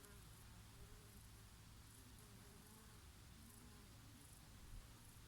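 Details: Bees grazing on oregano flowers on a summer day, with the odd bumblebee among them; a low, steady drone with wavering harmonic bands, soft and continuous throughout, over a faint breeze.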